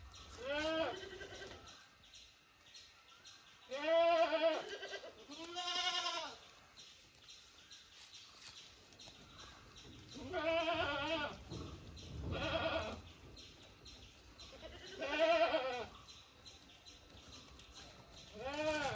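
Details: Several bleats from kept goats, wavering and nasal, spread through the recording in clusters of one or two roughly every five seconds, over a steady hiss with faint human voices in the gaps.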